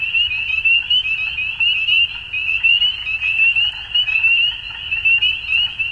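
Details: At dusk a chorus of frogs keeps up a dense, high-pitched pulsing trill, about eighty pulse bursts a minute swelling and fading irregularly over a faint low hum.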